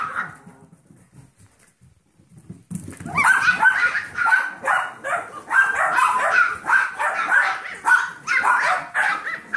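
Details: Seven-week-old Yorkshire Terrier foster puppies indoors with their mother, alongside a 15-week-old Golden Retriever mix foster puppy; near silence for about two and a half seconds, then dense, overlapping high-pitched yips and barks that run on without a break.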